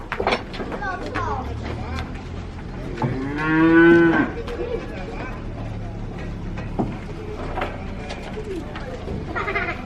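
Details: Cattle being unloaded from a truck for sale at a market: one long, harmonic moo lasting over a second, amid steady vehicle and crowd noise with scattered clatter and voices.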